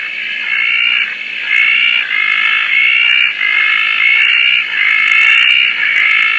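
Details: Night chorus of Roth's tree frogs at Koah following rain: layered, harsh rattling calls that swell and dip about once a second, the pulses slightly irregular, with faint ticking and clicks overhead.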